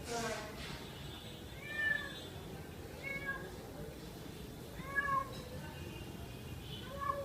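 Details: A cat drinking milk lets out soft, fairly quiet meows, about four brief arched calls spread over several seconds against a steady low background hiss.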